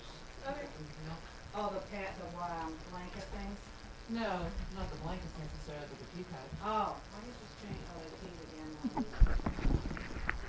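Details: Dogs being fed gruel in a kitchen make a chorus of wavering, rising-and-falling whimpers and squeals, many overlapping in bursts through the first seven seconds, while a woman speaks and clattering and pouring noises build toward the end.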